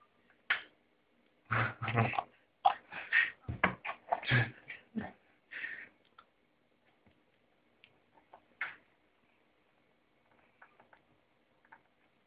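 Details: Kangals giving a quick, loud run of short yips and whimpers for about four seconds, followed by a few scattered quieter sounds and then near silence.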